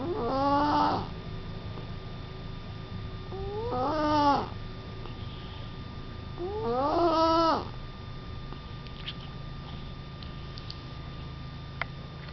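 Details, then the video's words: Sleeping cat snoring, three voiced, rising, harmonic snores spaced about three seconds apart, each swelling then stopping, followed by quiet breathing with a steady low hum and a few faint clicks behind. "Snoring cat"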